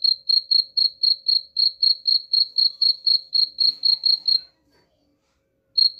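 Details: Cricket sound offered as a rat repellent: a run of sharp, high chirps at about four per second stops after four seconds, then a short silence, and the chirping starts again at the end.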